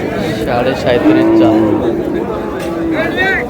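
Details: Cow lowing at Ambari cattle market (haat) on 17 August, a steady drawn-out low moo held for under a second, then a shorter second moo, amid men bargaining over prices and crowd chatter.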